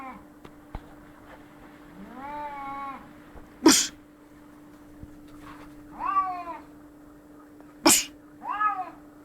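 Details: Fighting cats trade harmonic, quavering yowls, three bouts in about nine seconds, broken by two sharp explosive hisses or spits; a faint steady hum runs underneath.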